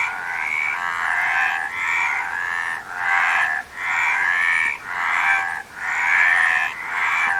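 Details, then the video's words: Frogs in chorus giving harsh, trilled croaks that rise and fall in waves about every one to two seconds, with short dips in loudness between waves. "Frog Sound"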